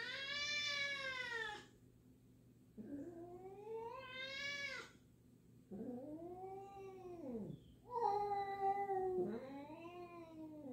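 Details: Two house cats meeting indoors, a black cat named Jill unsure of a new black-and-white cat: five drawn-out harmonic meows, rising then falling, some long and wailing, with short silent gaps between them.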